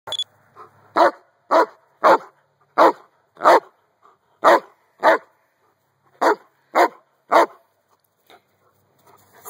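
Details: Giant Schnauzer barking outdoors while playing with a toddler: a run of loud, deep, regular barks, about ten in two bursts roughly half a second apart, with a short pause between the groups.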